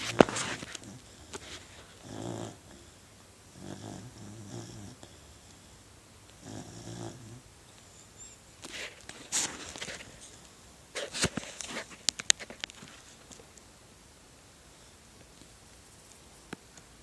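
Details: A sleeping puppy snoring, recorded on an Android phone: low rasping, harmonic breaths at roughly two-second intervals in the first seven seconds, then fainter, followed by scattered clicks and handling noises.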